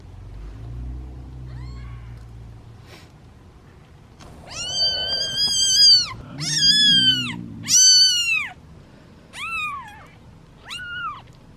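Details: Hungry kittens waiting their turn at feeding time give loud, drawn-out, rich meows, each about a second long, after a quiet start with low rumbling; later calls shorter and spaced.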